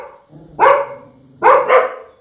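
A dog barks three times in quick, clipped bursts. The first stands alone and the second and third follow in a rapid pair, each bark abrupt and throaty.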